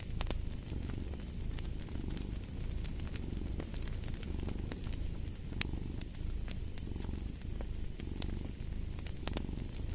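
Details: Soft, buzzy cat purr with rhythmic surges roughly every second, accompanied by frequent sharp pops and crackles from a burning fireplace.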